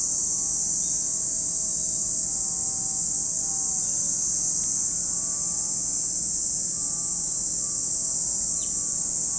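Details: Cicadas at Lake Kamo in Sado City, Niigata Prefecture, Japan, give an unbroken, shrill, high-pitched droning chorus throughout, with faint low humming tones of a passing engine underneath.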